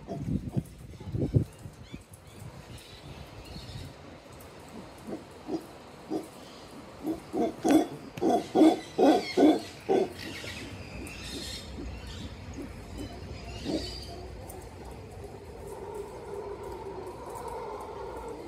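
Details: Howler monkeys in oceanview treetops above tree houses at Redonda Bay, Tola, Nicaragua: low, guttural pulsed grunts that swell into a rapid, loud run of throaty bursts midway, with scattered fainter calls before and a drawn-out groan near the end.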